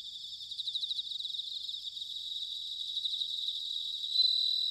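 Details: Autumn bell cricket song from Sanuki, Chiba: quick pulsed high chirps in a dense ringing insect chorus, ending in a louder, clear sustained ringing tone.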